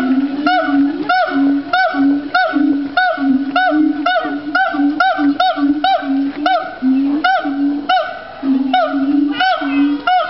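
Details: A family of gibbons, including a baby, sings together at Fota Island Wildlife Park in Cork, Ireland. The loud, hollow, ringing hoots come about twice a second, each with a short rising flick at the end, and several voices overlap.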